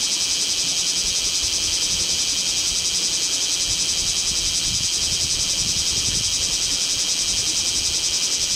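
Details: Shrill, continuous chorus of bear cicadas in Kamo town in intense August heat, 2 August 2026, camera recording; a fast pulsing high buzz fills everything, with faint low rumbling background underneath.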